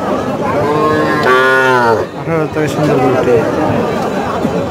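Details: Calves for sale at Chowbaria cattle market, Manda, Naogaon, Bangladesh, give a drawn-out harmonic moo lasting under a second, followed by shorter lowing, over constant crowd chatter.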